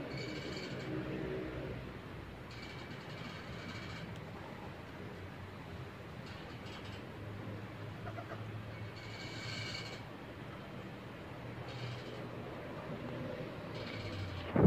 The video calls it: ตุ๊กแก - Tokay